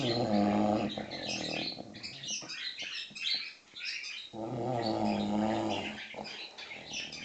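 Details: Six-month-old English Bulldog sleeping through noisy birds: two coarse, buzzing snores at the start and near the end, with lively bird chirping and twittering dominating the quieter middle.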